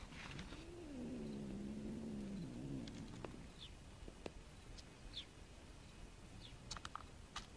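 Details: Several Persian cats hunting a snake; one gives a low, drawn-out, wavering yowl lasting about two seconds, followed by scattered sharp clicks and faint high chirps in the background.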